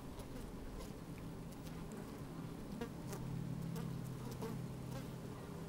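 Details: Busy honey bees moving about inside an open hive on a sunny, slightly windy day, recorded with a microphone lowered into the hive: a steady low drone with faint crackles and scattered ticks.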